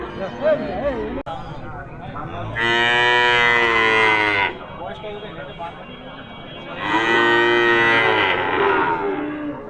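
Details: Cattle, small cows offered for sale: two long, deep, drawn-out moos, each lasting about two seconds with a rich, nasal tone and a steady pitch, separated by a pause filled with background chatter and low noise.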